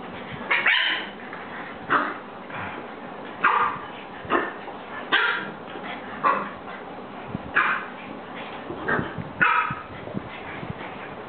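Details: A French bulldog welcoming new friends gives short, high yapping barks and whiny yips in irregular bursts, roughly one every second, with a dozen or so across the stretch, and quiet room noise between them.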